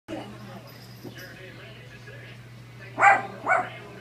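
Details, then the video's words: A female dog barking at herself: after a quiet stretch with a low steady hum, two short, sharp barks sound about half a second apart near the end. "Dog barks at herself"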